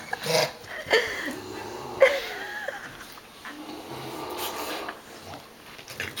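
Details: Male dog whining indoors, upset because he cannot be with a female dog he is attached to; thin high whimpers that slide up and down in pitch, a few drawn-out whines over six seconds, with a woman talking softly to him at the start.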